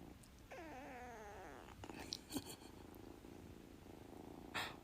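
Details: A pet cat indoors, asked to meow, answers with one drawn-out, wavering meow lasting about a second, rich in harmonics and sliding up and down. Faint clicks and rustling follow in a quiet room.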